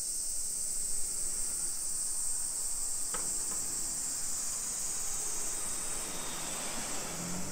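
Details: Cicadas in summer, hillside residential streets of Nisshin near Nagoya, Japan, 1 PM, 28 July 2021: a continuous sizzling high drone that swells slightly and fades near the end, with a sharp click around three seconds and light traffic hum.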